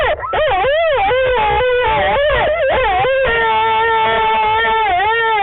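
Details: Wolves Lava and Tyke at night at the Wolf Conservation Center, South Salem, New York: overlapping wavering howls, pitch sliding up and down in loops, then settling into two steady held tones in the last seconds.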